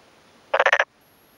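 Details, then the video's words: Male black-spotted pond frog giving one quick series of five harsh pulses, cheeks inflated, in a flooded rice field in rural Yamaguchi, Japan, May 2 afternoon, responding to another male calling close by. "昼間鳴くトノサマガエル Pelophylax nigromaculatus"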